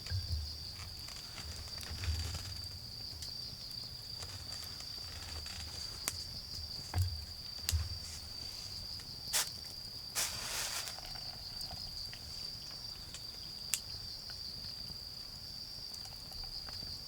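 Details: A garden bonfire in autumn with insects keeping up a steady high trill; wood crackles and sharp snaps recur, a brief hissing burst near the middle, and soft low thuds from distant traffic or movement underneath.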